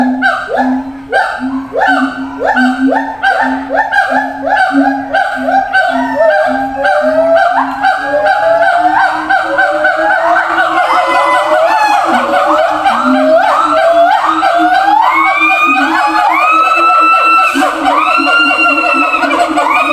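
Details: Zoo siamang shouting to communicate with others kept in separate cages far apart. Rhythmic honking barks at a steady beat give way to excited, upward-sliding whoops that grow higher and denser through the second half.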